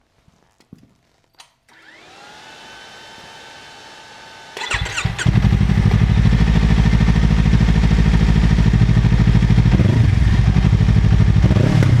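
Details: A motorcycle engine starts up and runs with a loud, steady, rapidly pulsing roar, and no animal voice is heard.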